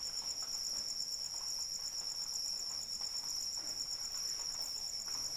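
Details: Persistent cricket chirping during rainfall: a piercing, finely pulsed trill held throughout, layered over soft, even rain patter.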